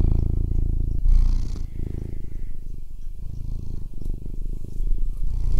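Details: Fat domestic cat purring: a deep, continuous low rumble with fine rapid pulsing, swelling and easing with each breath, with brief softer dips between phases.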